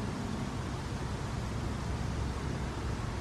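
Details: Steady broadband hiss with a deep, constant low rumble throughout, like an engine or room noise; no animal voice is heard.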